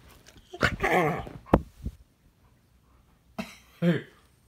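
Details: Puppy having a tantrum inside a small room, giving a burst of harsh, rough yelping barks, then a pause, then two more strained yelps.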